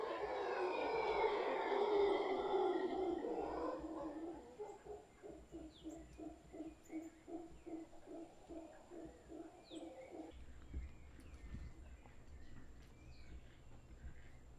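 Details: Wild howler monkeys, a large troop gathered in a tree in Guanacaste, give a harsh, throaty roar that fades into a rapid, regular series of short guttural grunts, then stop, leaving soft chirps and background hum.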